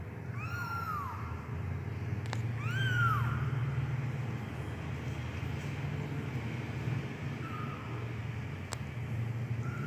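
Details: Persian kitten of medium coat giving two clear arched, falling meows in quick succession, then a faint softer one later, against a constant low rumbling drone.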